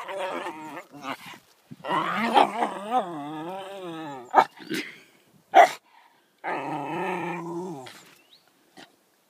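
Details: Yorkshire Terrier talking to its owner indoors: long warbling, groaning whine-howls that wobble up and down, broken by sharp clicks and a pause, then a final steady moan.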